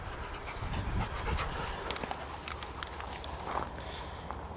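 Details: Bailey, a male Labrador Retriever cross, out on a walk under a cloudy sky, pants in quick, uneven breaths of about three per second, each a soft breathy burst, with rustling and outdoor background noise.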